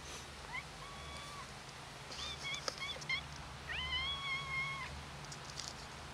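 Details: Hungry black cat, one of two cats that had been fed here many times and ran over for food when they recognized the feeder, giving three drawn-out, clear, harmonic meows in quick succession over a steady low hum.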